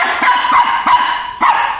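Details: Frightened little Shih Tzu from Chennai barks at a Batman toy bike: a run of four high, crisp yaps, irregularly spaced, inside a room, right after a person speaking Tamil offers to put the toy away.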